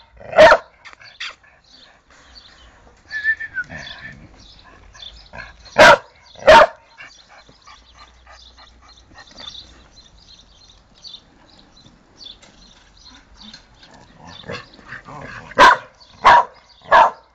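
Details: A dog barks loudly and sharply, once at the start and then in a pair. After a long stretch of faint, scattered noise, a final burst of three quick barks closes the sequence.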